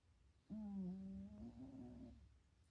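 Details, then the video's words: A sleeping house cat dreams and snores at home. A single steady, low humming snore lasts about one and a half seconds. Its pitch lifts slightly toward the end before fading. Otherwise a hushed room. "Snoring cat napping at home"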